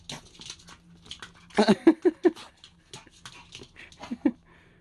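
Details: Suji, a pet dog, indoors in a small room while being fed an herbal collagen supplement, gives a short run of high, whiny yelps and whimpers, about five quick pulses, mixed with a person's talking.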